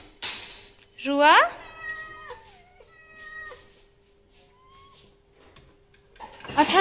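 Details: Pet Persian cat indoors: one loud, sharply rising then falling meow, followed by fainter drawn-out tonal notes, with a steady background hum and brief noise at start and end.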